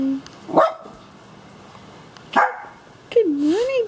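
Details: Two miniature schnauzers, Kishka, who is completely blind, and young Lapi, greeting their owner in the morning: a few sharp barks spaced apart, then a rising and falling whine near the end, with a person speaking softly.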